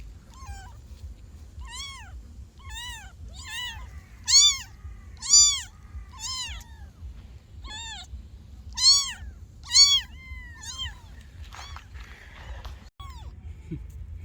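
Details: Kittens meowing in a steady series of short, high, arched mews roughly once a second, several louder bursts in the middle, with soft rustling near the end and a low background hum.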